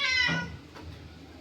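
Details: Domestic cat named Babdya in a garden, meowing at a snake: one loud, harmonic meow lasting about half a second, falling in pitch, then fading into quiet room tone.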